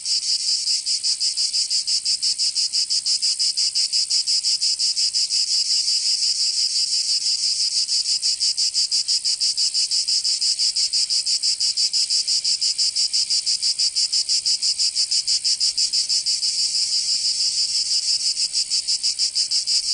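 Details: Summer chorus of cicadas in Provence, southern France, a continuous shrill rasping drone throbbing in quick, very regular pulses about three per second for the full stretch.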